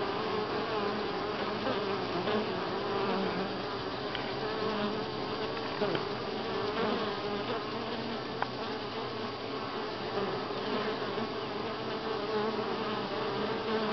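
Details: Many honey bees hum together at Grass Lake Sanctuary in week six, recorded July 25, 2011. A thick, even drone holds throughout, with slight wavering layers and a few soft ticks.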